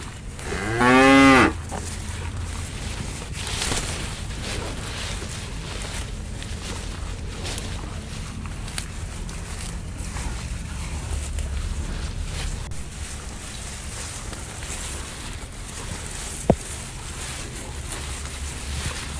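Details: Bull cattle feeding on elephant grass: a single strong, arching moo near the start, about a second long, then low rumbling background and occasional soft clicks and rustles of chewing and movement.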